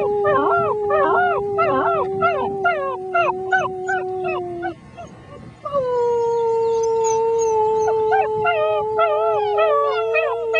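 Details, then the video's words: Six-week-old German Shepherd puppies howl along with a human, wavering rising-and-falling yelps stacked over a long, steady, held howling tone that breaks off midway and then resumes. "German Shepherd puppies sing the blues"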